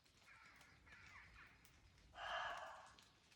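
A roe deer gives harsh, hoarse barks, two softer ones and then one loud rasping bark.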